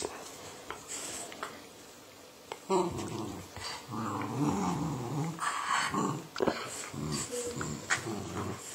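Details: Pet Patterdale Terrier, shown in a Patterdale-versus-border match-up, breaks into a low, rough, rumbling growl from about the third second, with throaty pulses and brief higher catches running for several seconds, then a short squeak and background household noise.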